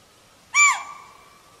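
A chital gives one sharp, shrill call, high and ringing with a quick fade.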